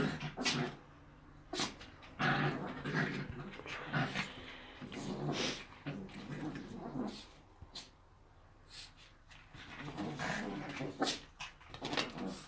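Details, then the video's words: Two pet Chihuahuas, Jessie and Eva, playing indoors: bursts of low rough growling and grumbles come in uneven bouts, broken by sharp snorts and short pauses, with faint human voice in the background. "Чихуахуа чихают играют"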